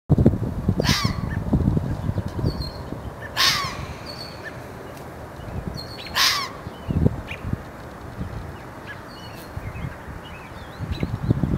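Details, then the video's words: Red fox giving three harsh, hoarse barks spaced about two to three seconds apart, each a short burst dropping in pitch, over steady low rumbling noise and faint high chirps of small birds. "fox barking"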